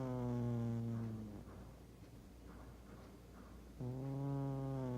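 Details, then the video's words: Sleeping house cat Doosik, a big-bodied cat, snores heavily indoors: two deep, reedy, horn-like snores, the first fading out after a second and a half, the second starting abruptly near the end, with soft breathy noise between. "코고는 고양이 두식이의 코골이 콘서트 _ 거의 악기연주 수준 _ Doosik's Snoring Show _ Snoring Cat."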